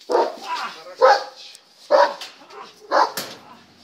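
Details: German Shepherd barking during a temperament test, four loud harsh barks spaced about one second apart, each a short broad burst, with quiet gaps between.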